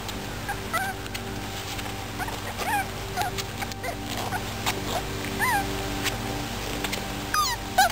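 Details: Five-week-old beagle puppies from a kennel litter, giving occasional short high whines that bend up and down, spaced a few seconds apart, over a steady humming background with faint tonal music.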